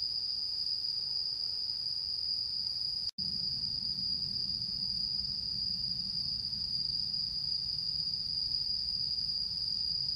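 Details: On the full-moon night of 10 September 2022, autumn insects keep up a continuous shrill ringing tone. It breaks off for an instant near the three-second mark, then resumes unchanged over a low background hum.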